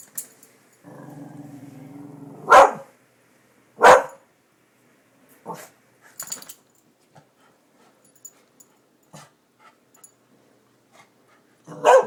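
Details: Darby the dog, excited by construction workers at new buildings, lets out a long low growl followed by five sharp, widely spaced barks, with quiet gaps between them and a final bark at the end.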